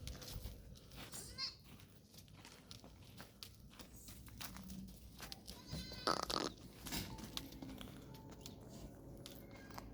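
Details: Goats in Tharparkar recorded on 29 January 2025: two short, wavering, harmonic bleats, one near the start and one midway, over a steady rushing background with scattered clatter and knocks.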